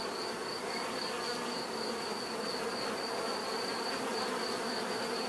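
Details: Bees buzzing in a steady, dense drone with layered hum bands around low-mid pitch, a constant swarm sound without pauses, plus a faint high steady tone running throughout.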